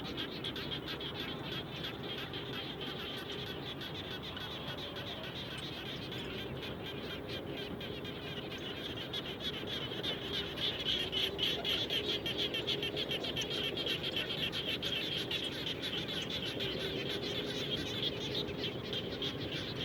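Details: Frog chorus recorded near a house after raining, continuous rapid pulsed calling with several overlapping callers, a low humming tone beneath and the chorus swelling louder in the second half.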